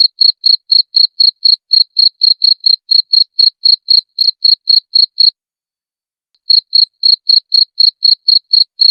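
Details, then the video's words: Cricket, used as a master recording for training songbirds; clean high chirps pulse about four times a second in a steady run, then a silent pause of about a second before the chirping resumes, with no other sounds. "Masteran Jangkrik Suara Jernih"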